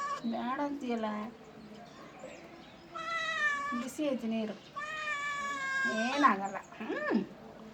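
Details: Cat yowling during a bath indoors: wavering lower cries, then two long, sustained meows and a final rising-falling cry.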